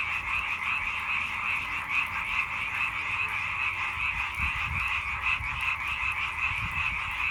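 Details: Frog chorus: rapid, overlapping rattling croaks pulse continuously, forming a thick, even wall of calls that never pauses across the stretch.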